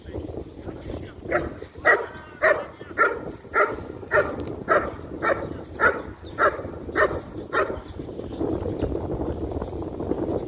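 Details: German Shepherd in IGP competition training, barking in a steady series of loud, harsh, evenly spaced barks about every half second, a dozen in ten seconds, over low background rumble.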